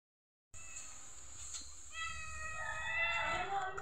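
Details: A neighbour's cat, described as not so hungry, gives one drawn-out meow after a quiet start. The meow is rich in harmonics and bends slightly downward, with a faint steady high whine in the background.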